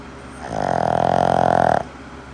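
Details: Boston terrier snoring loudly: a single long, rasping, droning snore lasting just over a second, rising in strength then cutting off abruptly, with a quiet room before and after.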